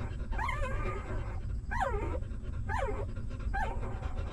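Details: Tiny puppies from a stray mother dog's litter feeding: four short, high whimpers that each drop steeply in pitch, roughly one per second, set against a steady low background hum.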